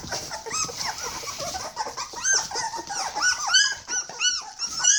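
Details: Several 21-day-old Border Collie puppies cry from hunger, a dense chorus of high, arching squeals and whines overlapping continuously.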